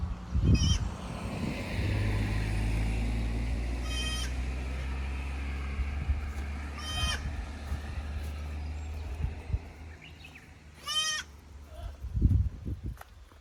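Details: Young goat kids from the lower pasture visiting the upper pasture at Yoshigake goat farm on 15 May 2024, unsure in the unfamiliar place; four separate wavering bleats spaced a few seconds apart over a steady low engine-like rumble.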